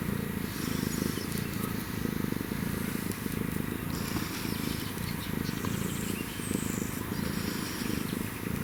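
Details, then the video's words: Purring of an African wildcat and kitten: a continuous low, throbbing rumble in even alternating breath cycles roughly once a second, rapid vibrato throughout, soft outdoor hiss behind. "African Wild Cat & Kitten Purrs"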